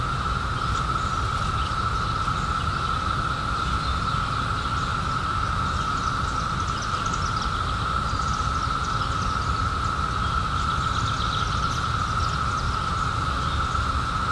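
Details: Cicadas emerged in 2021 after 17 years underground, forming a steady, unbroken droning chorus held at one mid pitch throughout, over a constant low rumble of background noise.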